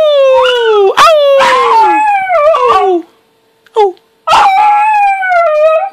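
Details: Young male pet puppy howling in a happy mood while wagging its tail: long falling and wavering tonal howls with rich harmonics, broken by short yips and a brief pause, repeated several times.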